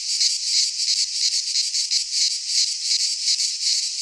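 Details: Midsummer chorus of cicadas in a pine forest in Greece, a harsh high-pitched droning buzz swelling and fading in rapid regular pulses, steady throughout and otherwise quiet.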